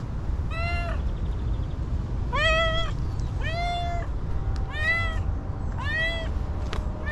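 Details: Very hungry homeless female cat meowing insistently, five drawn-out arched meows roughly every second, strong harmonics, with a low continuous background hum.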